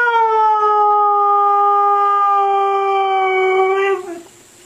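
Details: Siberian Husky 'talking', its howl likened to 'I love you': a long, steady, strongly harmonic tone held about four seconds with a slight downward drift, then a brief drop and fade.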